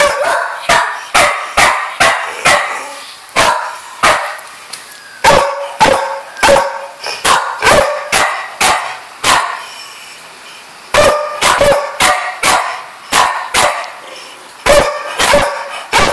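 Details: Female pet dog, a noisy one, barking indoors: a long irregular series of short sharp barks, roughly one or two per second, with one brief pause near the middle.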